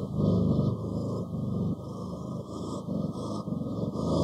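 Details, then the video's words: A domestic cat purrs in a low, rattling rumble of quick pulses, roughly three to four per second, the loudness dipping slightly between breaths. "고양이 골골송 11시간 / ASMR Cat purring"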